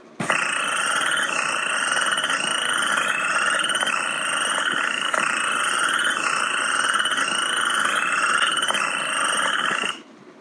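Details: Western chorus frogs give short, rising, creaking trills like a fingertip run along a fine-toothed comb; this early-spring call is heard mid-February to mid-May, when listening from about half an hour after sunset.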